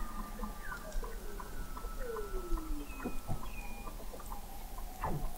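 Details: Under the frozen sea ice of McMurdo Sound, Antarctica, several Weddell seals call in November 2017: overlapping descending whistles, rapid repeated pulses and short upward chirps, from an observatory 21 m below the ice.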